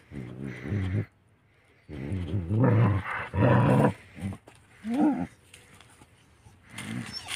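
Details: Village house dogs, desi dogs, meeting each other; low rumbling growls with harmonic bands come in bursts of about a second, separated by short quiet gaps, with a few higher yelping notes near the end.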